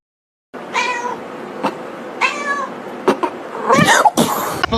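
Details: Kitten crying with two drawn-out, harmonic meows, each about half a second long, then sharp clicks, rustling and scuffling noises.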